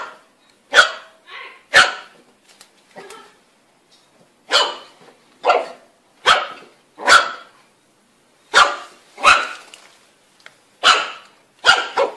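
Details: Puppy barks repeated steadily, roughly a dozen short, sharp barks spaced about a second apart, sometimes in pairs, over quiet background.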